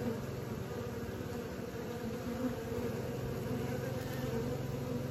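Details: Honey bees trying out their wings keep up a constant, low, throbbing hum that varies only slightly in loudness over five seconds, with no other clear sounds.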